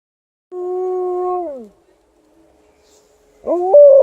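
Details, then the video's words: Alaskan Malamute joining in with a tested air raid siren during a winter walk: a held, level howl sliding down at its end, a faint steady siren tone, then a rising, wavering howl starting again. "Alaskan Malamute backs up the air raid siren"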